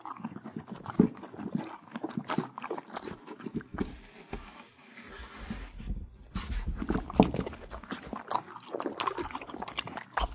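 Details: Close-up horse eating carrots, apples and peppermints at the Kentucky Horse Park, Lexington, Kentucky; muffled, wetter chewing and grinding with a few sharper crunches and a soft breathy stretch midway.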